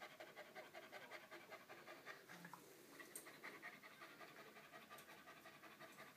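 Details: Rapid, airy panting from purebred Moyen Poodle puppies, a continuous run of short huffing breaths close to three per second, with a few faint clicks and rustles behind.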